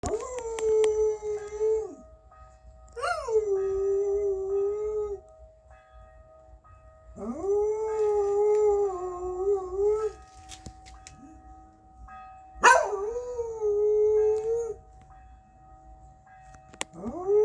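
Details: Pet dog howling along with church bells: long, steady, tonal howls that swoop up at the start, then hold level and fall away, repeated in several drawn-out wails with short gaps, over a faint ringing background.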